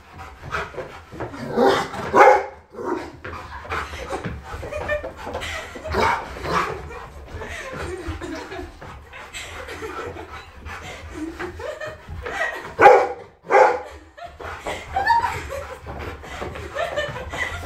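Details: A Rottweiler chasing around indoors gives irregular bursts of deep, rough barks and growly vocal outbursts.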